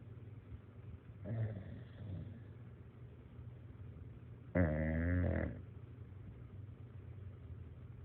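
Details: A snoring bulldog gives a soft, rough inhale followed a few seconds later by a louder, vibrating snort of about one second. A faint steady hum runs underneath.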